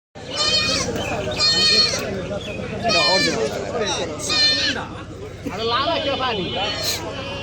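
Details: Haryana breed buck goat brought to a village market. Several wavering, nasal bleats roughly every one to two seconds rise above a busy crowd of people talking loudly nearby.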